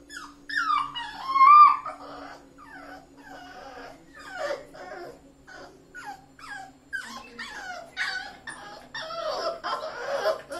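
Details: A Rottweiler puppy, newly brought home, whimpers and yips in a series of high, thin, descending cries.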